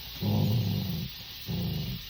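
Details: Angry female pet dog, unwilling to be called for her bath, gives two low rumbling growls, the first nearly a second long, the second shorter after a brief pause, over a faint steady hiss.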